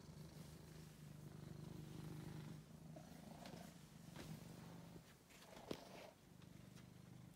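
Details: Angelus, a rescued male cat kept as a pet after being found sick in a basement, gives a steady low rumbling purr that breaks off briefly, with small clicks and handling noise.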